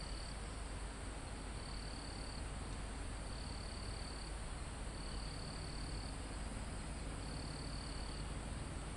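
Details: Crickets in a forest near the top of a mountain, recorded live: steady high trills in bursts of about a second, repeating every one to two seconds, over a heavy low rumble of wind through foliage and trees.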